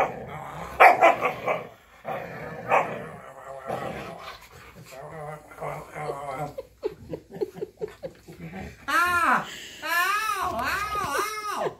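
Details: Pet female Siberian Husky playfully pinning her owner down during an evening romp, producing grumbling growls early on, then long arching, yodel-like howled 'talking' calls near the end, overlapping with a man and woman speaking and laughing.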